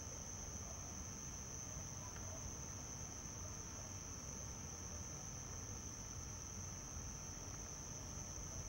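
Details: Male house crickets (Acheta domestica) stridulating by their burrows beside houses on the Gulf of Tunis coast, Hammam Lif, on a summer evening; an even, piercing high trill sustained without pause over low background hum.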